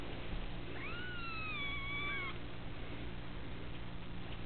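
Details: Kitten from a cattery litter of young females. One drawn-out, fairly level meow with a slight upward start and a small drop at the end, heard over steady hiss.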